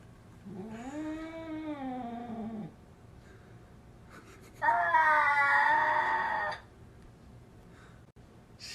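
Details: Domestic cat producing two drawn-out meows, the first lower and arching in pitch, the second louder and higher after a short pause, with quiet room background.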